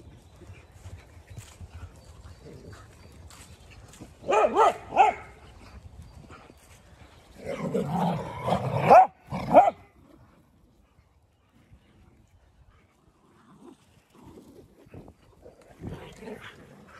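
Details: Dogs at play on a farm in County Kilkenny, Ireland, giving two bursts of rough barking around the middle, with quiet rustling and soft background noise between them.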